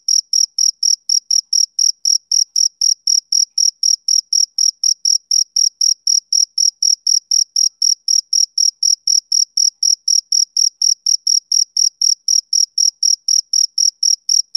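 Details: Male cricket chirping on a summer evening, an unbroken string of crisp, very high chirps repeating about four times a second, soothing and even, with no other noises.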